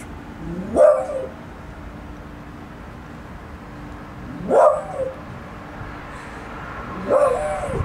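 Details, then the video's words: Three loud, sharp barks from a dog, spaced roughly three seconds apart, each rising abruptly then trailing off, over a quiet background with a faint steady hum. "Dog Barking"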